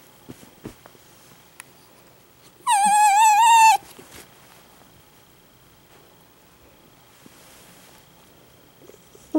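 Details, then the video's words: A male Italian Greyhound suddenly bursts into one loud, high-pitched wavering cry lasting about a second. "笑える犬の鳴き声 急に大泣きする犬 可愛いイタグレです。 The dog barks. Dogs cry."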